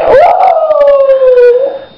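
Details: Indoor female dog howls toward the camera to say she needs to go out to the bathroom. A quick upward swoop leads into a sustained tone that sinks slowly over nearly two seconds before fading out.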